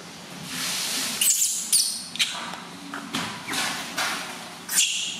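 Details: Newborn baby monkey crying loudly during its first bath, given gently by its new mother: several shrill, high squealing bursts with thin whistled tones, separated by short pauses, over a faint indoor background hum.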